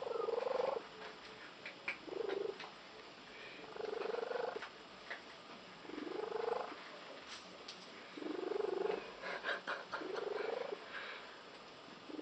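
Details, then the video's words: Unusual purr of a female pet cat, compared by her owners to a tree frog, heard as rough, buzzy pulsed bursts roughly every two seconds over a faint hiss, with a slightly rising tone in each burst. "the cat with the unusual purr"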